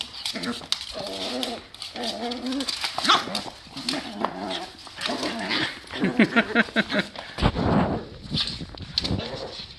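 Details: Two playing dogs, one a new Boston Terrier on its third day with the family, give drawn-out whining growls in pulsing bursts, then sharper barks and scuffling, with a person's voice calling over them.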